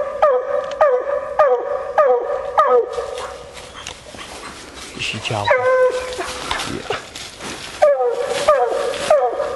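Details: Coon-hunting female Bluetick Coonhound bawling in short, quickly repeated, harmonic notes for three seconds, then rustling noise and movement with scattered bawls returning toward the end.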